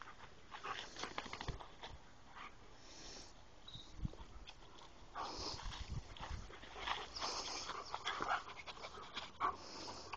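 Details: Household pack of dogs (a short-haired German Shepherd, a Pembroke Welsh Corgi, a long-haired German Shepherd foster and a small rescued stray), January 21, 2011: soft, breathy panting in uneven bursts with faint rustling and brief snuffles indoors.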